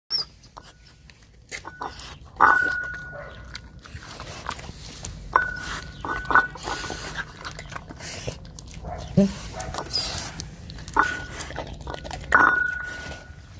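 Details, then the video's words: A lone dog eating offal it has never had before, after turning away from porridge: wet, irregular chewing and smacking bursts with sharper crunches near two and a half and twelve seconds, and a faint steady high tone underneath. "dog eating offal | Eating Sounds"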